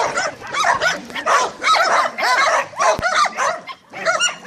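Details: A group of Staffordshire Terriers yelps and barks in quick, uneven bursts, with bright arched yips repeating about every half second.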